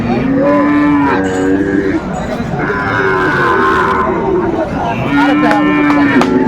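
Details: Cattle at a Chattogram market, Bangladesh, 7 December 2024, where a farmer bought a Sahiwal bull calf; three drawn-out, level moos come about every two seconds over a background of crowd chatter.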